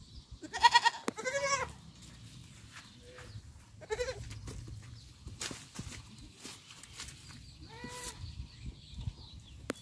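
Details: Village kid goat with a loud tremulous bleat near the start, several softer shorter cries later, scattered clicks and knocks in between.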